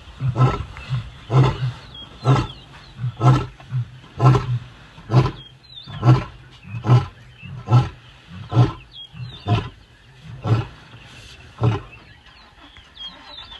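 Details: Adult wild lion on the African savannah, roaring in a long run of about thirteen deep grunts spaced just under a second apart, slowly fading toward the end, while small birds chirp brightly in the background.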